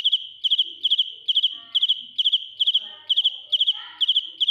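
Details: Cricket (dế mèn) singing loudly at close range: a bright, high chirping made of short pulse groups, usually three or four quick pulses, repeated roughly every half second; faint soft background sounds drift in now and then.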